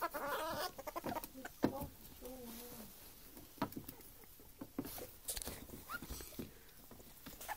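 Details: Playful indoor ferret pair, an adult female with a baby male: quick clucking dook bursts at the start and a short chuckle a second later, between loud crinkling, scratching and pattering from their wrestling.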